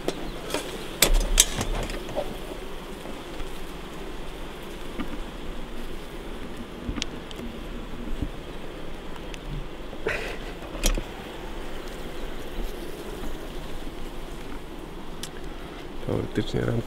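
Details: Honey bees in a beehive the day before the honey harvest, while frames are checked for capped, ripe honey: a steady low droning hum fills the recording, broken by a few sharp clicks and knocks of handling the hive.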